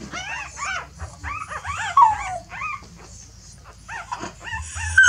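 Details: A mother dog is shifting her puppies to a fresh nest, perhaps because the old one is too messy. The puppies give shrill, bending squeals and whines in quick bursts, with a faint low rumble underneath.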